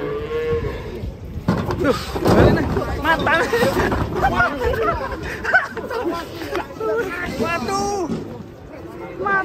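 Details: Cows coming down off a truck: a low steady moo opens, then a busy mix of loud crowd voices and shouts with short lowing sounds among them.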